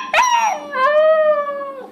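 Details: Puppy learning to howl, prompted by a person, starting with a short yip and then sustaining a steady, pure howl that slowly falls in pitch near its end.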